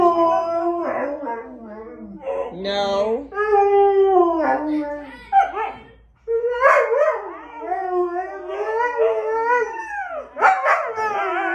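A Siberian husky yodels and howls in long, wavering, talkative phrases that rise and fall in pitch.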